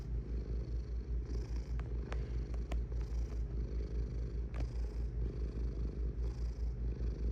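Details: Cat purring close up: a deep, steady low rumble that swells and fades in a quick regular rhythm, with a few faint clicks over it.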